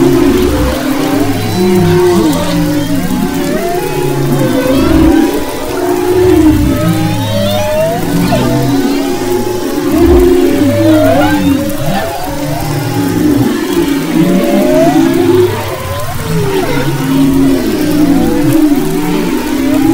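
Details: Humpback whales recorded in February 2011 off western Maui: a busy chorus of looping whoops, short upswept chirps and deep sustained groans, overlapping continuously with rhythmic swells in loudness.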